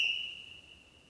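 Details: Sika deer give a single high, pure whistle that starts sharp and fades away, an alarm or contact whistle in response to danger, recorded 3 October 2015 at Krasny Bor near the village of Dobroplyosy.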